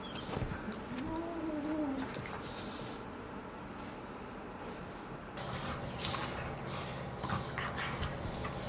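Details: Five-month-old Golden Retriever puppies playing together, one giving a short, high whine that rises then falls, a typical play sound, while an older adult Golden Retriever sleeps nearby; rustling, scuffling and background clatter fill the rest.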